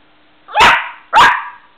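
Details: Two loud, sharp single barks from a West Highland White Terrier, about half a second apart, each clipped and punchy, indoors with a faint steady hum.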